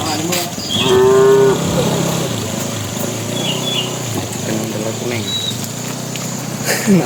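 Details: Tame cattle walking toward their pen as a bull calls to the cows: one loud, steady, low moo lasting under a second, then quieter lowing and background rumble, with faint high chirps.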